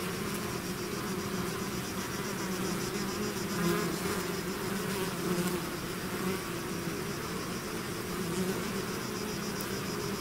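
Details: Bees swarming out of their hive produce an unbroken layered hum, many wingbeats merging into a steady drone that swells slightly around the fourth second before settling back to an even level.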